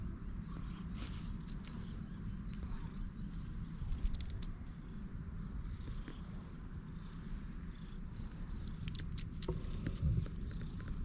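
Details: Stray cat with unusual coat markings, petted outdoors and relaxing; a steady low rumbling purr runs through the whole stretch, with scattered light clicks and rustles from handling.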